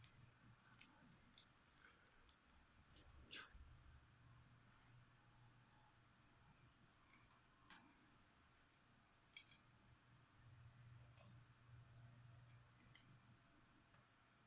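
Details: Live crickets used to feed a leopard gecko chirp continuously indoors, high and trilling, in rapid, fairly even bursts, with scattered small clicks and a faint low hum.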